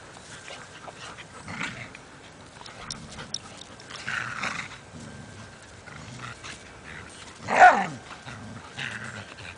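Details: Dogs playing in a yard, among them a foster pit bull, a poodle, a lab/golden mix and an Australian shepherd; scuffling and soft grumbles build to one sharp, loud bark near the end, with a person speaking before.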